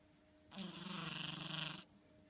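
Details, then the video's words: Sleeping house cat Ten-chan gives one long snore of about 1.3 seconds, a buzzy, rasping breath with a low droning core, set against a faint steady room hum. "いびき ねこ"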